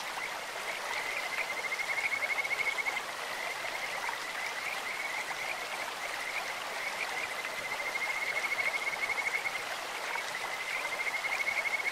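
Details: Kajika frogs calling in a clear stream, their voices likened to birds or insects: a sweet, steady, fluttering whistle held on one high pitch, swelling in two long bouts, above constant rushing, splashing water.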